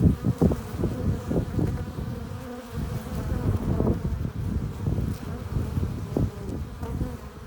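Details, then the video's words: Loud, close buzzing of honey bees at a hive entrance, bringing in pollen and nectar; a rough low hum broken by frequent sharp surges as bees pass right by. "15 minutes of bee hive entrance! Relaxing sounds! Buzzing sound efects"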